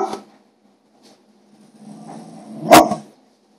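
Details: Indoors, a pet dog barks because she wants food from people's plates. A faint soft sound comes first, then one loud, sharp bark near the end in a quiet room.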